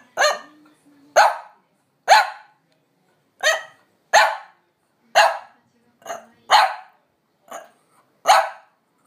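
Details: Demanding bark of a normally quiet French Bulldog eager for a walk its owner is slow to start. About ten abrupt barks follow at uneven intervals, some softer than others, with a faint low whine early on.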